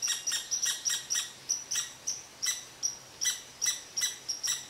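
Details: Red squirrel upset by an Eastern Cottontail relaxing under its favourite tree, barking in sharp, high, squeaky chips roughly every half second, irregular in spacing, each note clipped and shrill.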